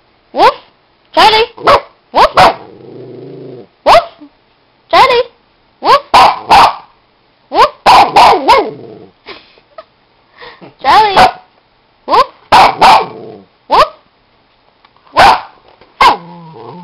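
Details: Maltese dog barking indoors on a trainer's cue: short sharp yaps and barks in clusters of one to three, some with a low growl between, alternating with a man's voice repeating commands.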